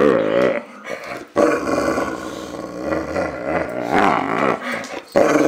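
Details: Growling from Enzo, a male Boxer: several sustained, grumbling growls with quavering, wobbling tone, each broken by a quick inhale, the last rising into a louder whining snarl.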